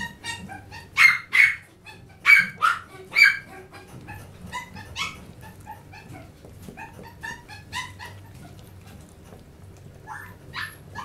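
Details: An energetic Chihuahua lets out a run of shrill, clipped yaps, five loud ones in the first three seconds, then a long string of quieter, quick yips and snuffles, with two more clear barks near the end.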